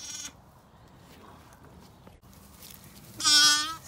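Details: Newborn Zwartbles lamb, stuck between farm gates early in the morning in County Kilkenny, Ireland, gives one short, strained bleat near the end after a clipped bleat at the start. Quiet yard background in between.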